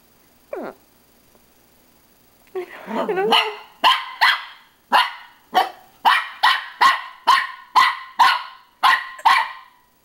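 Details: Pippin the dog barks at himself in a mirror: a brief yelp, then a growly rising grumble leading into a run of about a dozen sharp, evenly spaced barks, roughly two per second.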